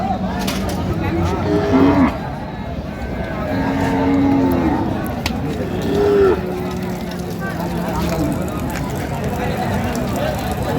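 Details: Cows with calves for sale at Raniganj cattle market, Dinajpur, on 17 November 2025: several short moos that rise and fall, heard through constant crowd chatter and vehicle noise.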